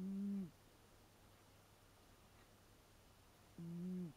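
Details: Leo, an American Shorthair cat aged eight, snoring in a humming 'woon-woon' style, filmed with a Panasonic LUMIX DMC-TZ7. Two short, low, nasal hums about half a second long, roughly three and a half seconds apart, with quiet breathing pauses between.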